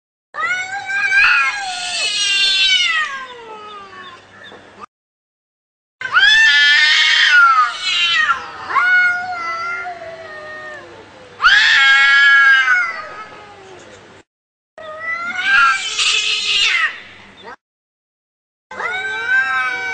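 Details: Angry cats fighting: long wailing yowls with rising and falling harmonic tones, each lasting two to four seconds, separated by short silences, some ending in harsh, noisy screeches.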